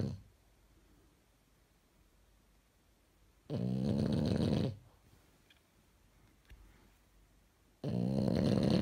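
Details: French Bulldog in pyjamas snoring while asleep in a room: long gaps of near silence broken by two coarse, rattling, low snores over a second long, spaced about four seconds apart.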